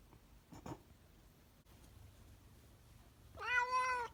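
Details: After a quiet stretch with a brief muffled thump, a cat lets out one strong, bright meow that swells and holds near the end.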